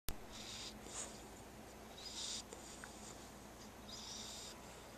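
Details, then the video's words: Chubby puppy asleep while being dog-sat, snoring softly: faint airy, wheezy breaths about every one to two seconds over a quiet, steady background hum. "cute snoring puppy"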